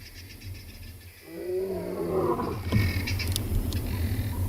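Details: Huge male lion at Tswalu Kalahari Reserve, South Africa, roaring after scent marking on the quarry during a sunrise game drive on 5 August. A deep, rising, harmonic moan swells, then gives way to rougher broadband noise and a steady low rumble.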